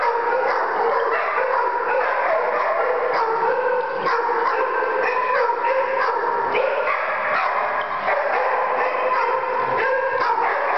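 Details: A pack of domestic dogs join in a group howl, one setting off the rest: sustained overlapping howls that rise and fall, with short yips and barks breaking through the chorus.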